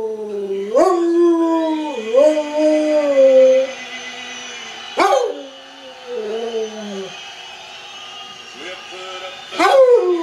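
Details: Howling along to a Toby Keith song, a bomb-detection dog gives long sliding tones that rise and fall, ending in a falling whine, then a quieter stretch before another sharp rising howl.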